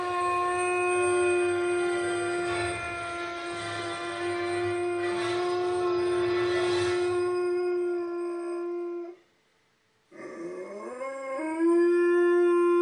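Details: Purebred male chocolate Labrador Retriever howling in response to a movie intro: a long, steady, tonal howl held about nine seconds with rich harmonics, a brief silence, then a new howl rising from a low start into another sustained note.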